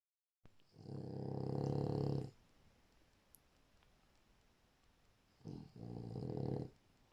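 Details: A sleeping French Bulldog snores indoors: two long, deep, rasping breaths of about two seconds each, separated by a few seconds of quiet.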